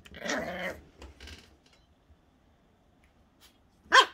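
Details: A Jack Russell Terrier puppy gives a drawn-out, rough yap, then one sharp, high bark after a pause.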